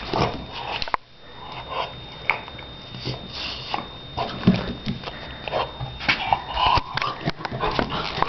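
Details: Donna, a Shar Pei, playing indoors in a small room: short whimpers and yips between scuffling and snuffling noises, with brief sharp knocks and rustles throughout.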